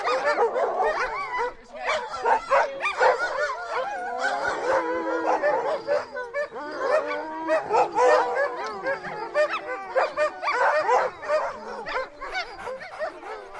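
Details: Siberian husky producing a continuous, warbling howl-like vocalising mixed with yips and wavering whines, the voice sliding up and down almost without pause.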